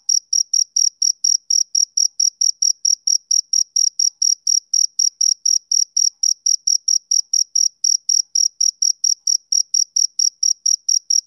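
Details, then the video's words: Summer-evening chirping from a male cricket: a continuous, even series of crisp, high-pitched pulses, around four a second, unchanging in pitch and level, with no other sounds. "Cricket Chirping Sound Effect"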